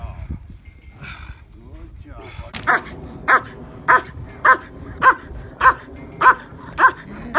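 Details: Protection work for a Schutzhund IPO trial: after a quiet spell with brief voices, German Shepherd Yukon vom Patiala begins barking at the decoy, eight crisp, very regular barks spaced about every half second.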